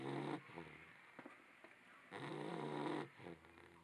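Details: A sleeping Labrador Retriever puppy snoring indoors: two long, rough breaths with a low harmonic buzz, separated by a quieter pause with a few soft clicks and sniffs.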